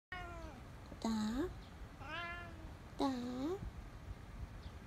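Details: Domestic cat meowing indoors: three drawn-out meows about a second apart, the first falling in pitch, the later two dipping then rising at the end, in a quiet room.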